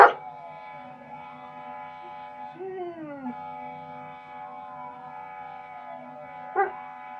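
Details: A German Shepherd howls in long, sliding tones that fall and rise, answering fire truck sirens played from a video.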